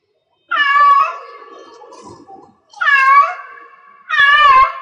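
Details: Cat in heat producing three long, loud yowling meows in quick succession, each wavering in pitch and trailing into a low rough murmur before the next begins.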